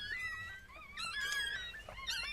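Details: Chihuahua birth indoors with seven newborn puppies: several high, harmonic squeals that bend up and down in short overlapping bursts, separated by brief pauses, over quiet background hiss.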